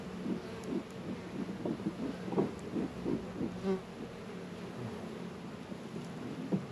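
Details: Steady hum of honey bees busy around Warre and Langstroth beehives, northern Kentucky apiary, warm 72-degree day in February. A continuous low drone with a fainter higher band, soft bumps and outdoor noise, no voices.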